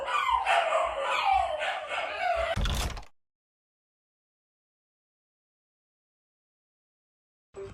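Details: Shiba Inu dog giving a short, wavering howl with a falling, whining tone for under three seconds and ending in a rough burst, followed by silence.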